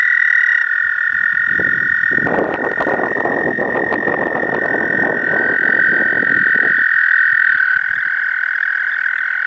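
An American toad gives its long, steady, high musical trill to attract a mate.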